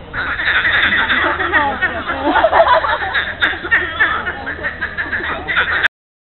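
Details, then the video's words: Mid-April Monday morning at the lily pond in Monet's gardens, Giverny, France, where many frogs croak at once: rapid chuckling, laugh-like rattles pouring out in a continuous mass, then stopping abruptly. "FROG SONG WAR"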